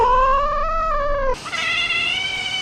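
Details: Domestic cat with a long, steady yowling cry that holds one pitch and then jumps to a higher, strained wail. The call is continuous for nearly three seconds over a low background hum.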